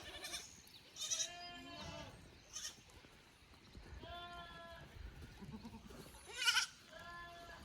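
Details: Goat kids from a lower pasture visiting an upper pasture on a handmade goat farm in Japan, 15 May 2024; several short harmonic bleats at scattered intervals, some nasal and wavering, over faint background noise.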